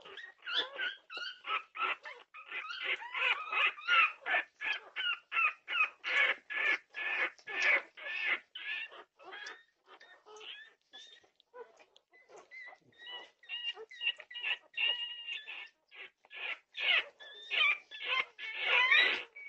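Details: Norwegian Buhund puppies in full chorus at 2:30 am on June 8, 2021, pouring out rapid, rhythmic yelps and whines, about two or three per second, briefly easing midway before swelling again.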